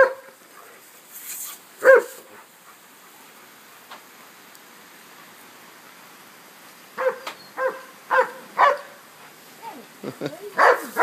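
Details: Dog playing with and chasing a lawn sprinkler outdoors on a 76-degree day, giving short yips and barks in bursts, one early then a rapid series near the end, with quiet background between.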